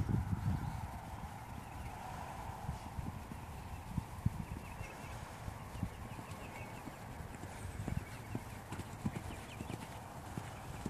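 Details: Steady, muffled hoof strikes from a Dutch Warmblood horse, low thuds falling at an irregular pace beneath a constant broadband hum, staying fairly quiet throughout.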